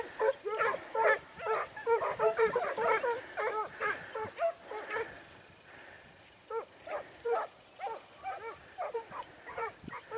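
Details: Segugio Italiano hounds in training at Sofiko, Evros, on 12 September 2018, giving rapid high yelping barks in bursts, with a pause mid-clip before looser barking resumes.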